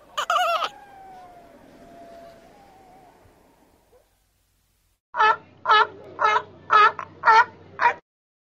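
A seal gives a loud harmonic cry, then a row of six short, hoarse barks about half a second apart.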